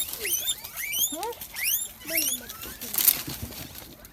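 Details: Guinea pigs (cuyes) kept in rearing, recorded during cleaning and disinfection: a rapid series of high, rising whistled squeaks in quick bursts, several overlapping, with faint talk in the background.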